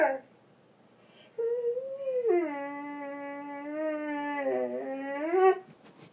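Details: Doberman, a female pet, howling and whining indoors because her owner had to work all day; a long tonal howl with rich harmonics, wavering and rising at the end, after a brief whimper at the start.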